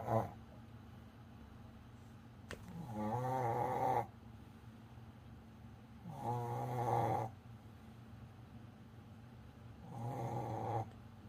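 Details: Tired pet Pomeranian named Coco sleeping indoors, giving three drawn-out raspy snores roughly every three to four seconds, each a buzzing breath lasting about a second, with quiet gaps between.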